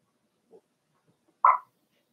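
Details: Cavalier King Charles Spaniel puppies, four weeks old, in Daisy's indoor puppy pen: a faint low murmur first, then after a pause one brief, sharp yelp, with the room otherwise quiet.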